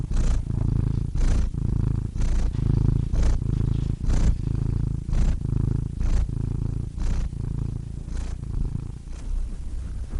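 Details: A cat purring steadily and deeply, the low rumble swelling and easing with each breath, punctuated by soft clicks roughly every second.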